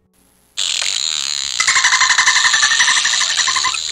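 A dolphin gives a rapid, buzzy pulsed chatter over a steady high hiss, with a faint tonal band running through it.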